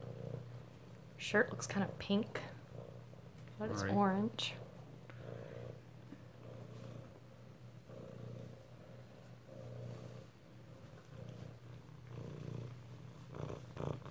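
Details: Close-up of Alabama kittens at home, February 2018: an unbroken low purring drone runs underneath while a person talks in short bursts early on, then the rumble carries on alone.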